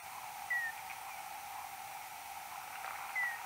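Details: Common noctule search-phase echolocation calls recorded 6 July 2022 at 22:38, alternating low quasi-constant-frequency and high frequency-modulated cries; two brief, slightly falling chirps about 2.7 seconds apart over a steady background hiss.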